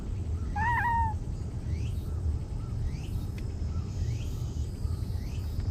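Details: Talkative stray cat giving one short, wavering meow near the start. Faint rising chirps recur about once a second over a constant low background hum.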